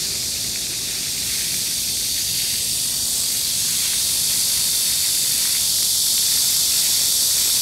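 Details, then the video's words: Unbroken shrill drone of cicadas in a Seoul city park in Gangseo-gu at 31°C in July 2022, holding a constant level throughout, a fountain running nearby. "The sound of cicadas on a midsummer day and a cool fountain(한여름날의 매미소리와 시원한 분수)"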